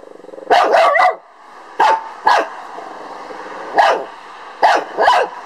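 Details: A male Lhasa Apso barks at a beetle in sharp, high bursts, some single and some doubled, at uneven intervals.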